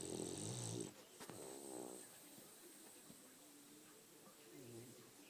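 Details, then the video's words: French Bulldog snoring, opening with a loud, rough snore and then a shorter harmonic wheezing breath, followed by quieter breathing and faint low voices. "Snoring french bulldog"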